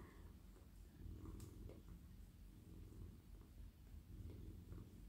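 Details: Domestic cat, a soft friendly male, purrs as he is petted in a lap; continuous deep rumbling with swelling and fading pulses, light scratchy stroking sounds on top.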